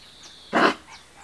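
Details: Kuvasz puppy, 32 days old, from a litter bred by the Crystal Diamonds kennel, recorded 15 July 2014. A single short, bright yelp-like bark. Faint high bird chirps sound before and after it.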